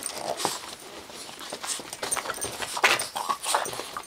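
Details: Young bulldog, two months old, roughhousing with a Boston terrier, giving soft grunts, snuffles and short whiny breaths in quick irregular bursts, with a slightly louder whimper-like sound near the end.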